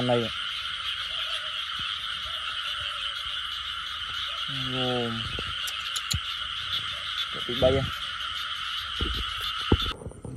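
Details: A few scattered frog croaks at night, one a longer, resonant, deep call, the others brief and clipped. They sit over a persistent shrill insect chorus with occasional clicks.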